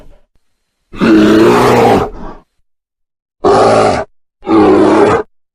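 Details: Bear giving three harsh, rasping growls: a long one of about a second, then two shorter bursts close together, separated by dead silence with no other sounds.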